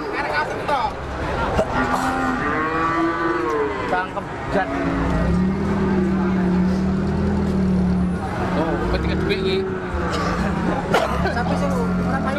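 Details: Cattle lowing amid a noisy crowd, with low drawn-out moos, one held steady for several seconds, over constant human chatter and background rumble.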